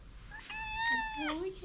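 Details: Hungry mother cat meowing loudly to ask for food: one clear meow, about a second long, climbs then slides down in pitch over a quiet background.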